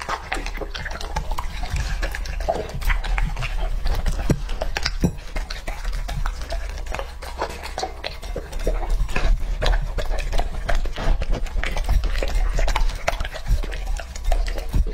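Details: Wet, squelchy chewing and lapping from Lucky, a young male English Labrador Retriever tucking into raw meat; soft irregular crunches repeat continuously with a deep low rumble underneath.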